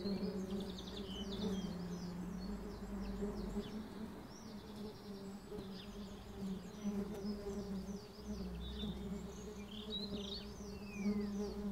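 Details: Defensive bees swarming at a drone filming a cricket match: continuous low humming buzz, rough low rumble beneath, and many small bird chirps and twitters in the background throughout.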